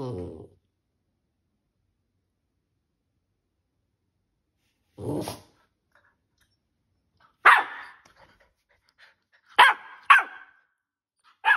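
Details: A 13-week-old Keeshond puppy barking at home while trying to get attention. Short, sharp, high yaps are spaced irregularly, with a pair close together near the end, and long quiet gaps between them.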